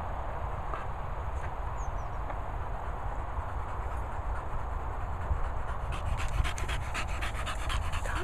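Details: English Bulldog among Moll the Doll, Henry and Peppa, out with swallows in Worcestershire countryside kennels; steady low background rumble, with quick rhythmic panting breaths becoming clearer in the final seconds.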